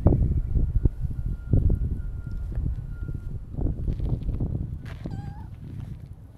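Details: Siamese mix cat, a stray, giving one short wavering meow near the end, its stacked harmonics standing clear above a steady low rumbling background.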